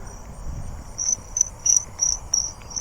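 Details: Jumping bush cricket (Orocharis saltator) singing close by at night on 8/7, short clear high chirps about three per second, stopping when a light is shone; Colombian crickets also nearby.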